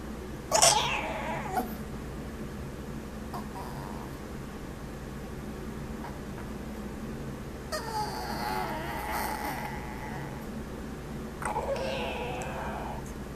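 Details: Pet Chihuahua indoors on a rainy day, making funny noises: a sharp squeal, then drawn-out whiny, wavering moans, over the steady hum of a fan and rain.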